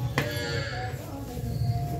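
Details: Cow; moo; calling loudly because milking time has come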